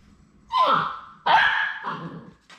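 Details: Three Labrador Retriever puppies at High Desert Labradors on their last day before going to their new homes: two high, drawn-out whining cries, each falling in pitch, the second longer and more strained, with quiet room background.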